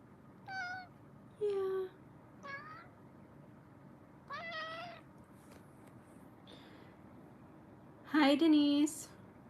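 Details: Kittens in a cuddle room, streamed live: a run of six meows spread over about nine seconds, some thin and high, others lower and drawn out, ending in a loud, strained double meow against quiet room noise.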